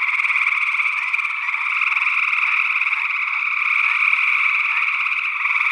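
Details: In early June 2022 in Northwest Wisconsin, a chorus of gray tree frogs produces a steady wall of pulsing, overlapping trills, captured in stereo with two sE8 small-diaphragm condensers feeding a Tascam DR-60D II recorder.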